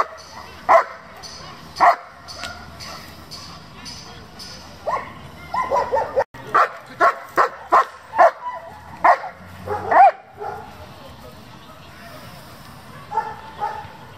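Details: German Shepherd from a breeding and competition working group: two isolated barks, then a quick burst of rapid barking around the middle, tapering to softer barks near the end, with background noise and faint voices.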